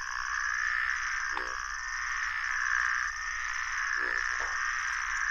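Groove-crowned bullfrogs give short, low, pulsed croaks over a steady high chorus of puddle frogs.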